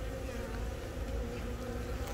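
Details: Hive of honey bees, Yongin Baekam, Korea, April 20, as a young queen from a natural swarm lays eggs, captured with a phone. Dense low humming buzz, steady and unbroken, with a faint higher tonal band above it.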